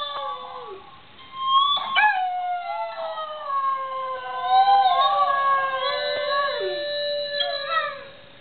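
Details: Dog howling along to guitar playing that agitates him; a drawn-out, steady howl gliding slowly downward with wavering tone, mixed with plucked guitar notes.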